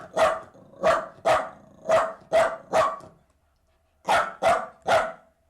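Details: Lively Jack Russell terrier, leaping and bounding, barks six times in quick succession, falls silent for a second, then gives three more sharp, ringing barks.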